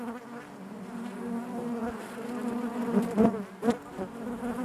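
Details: A honey bee colony hums inside the hive, the low buzzing layered in harmonic bands, growing louder toward the end with a couple of brief, sharp bursts after three seconds.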